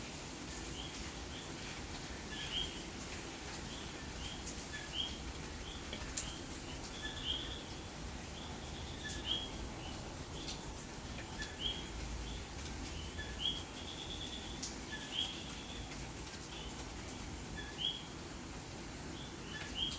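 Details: On a rainy May night in Santurce, San Juan, Puerto Rico, several common coquí frogs call in short, high chirping notes through steady rain.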